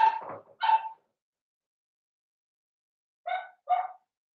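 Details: Seven-week-old blenheim Cavalier King Charles Spaniel puppies in an indoor puppy pen: two quick high yapping barks, then a pause of over two seconds and two more short barks, each with bright stacked overtones.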